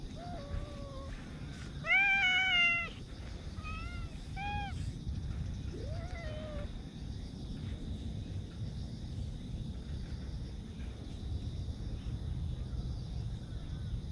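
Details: Park cats on September 28, including a chubby black-and-white hachiware cat, meow several times in the first seven seconds, one loud drawn-out meow among shorter rising ones, over a steady high whine and low outdoor rumble.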